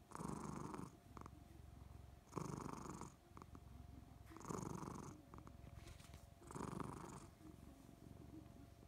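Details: Contented Somali cat purring continuously, its low throbbing rumble rising in four louder breathy surges roughly every two seconds, a faint steady hum underneath.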